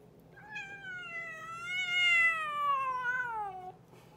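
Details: Boots, a pet cat, talking: one long drawn-out meow lasting about three seconds, rising gently, holding steady, then sliding down to a lower end, rich in overtones, in a quiet room.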